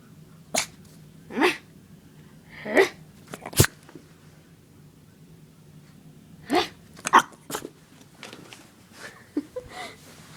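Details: Leah, a scared female puppy indoors near a hair dryer, makes scattered short, breathy, noisy barks and huffs, some sneeze-like, spaced a second or more apart, with soft rustling between them.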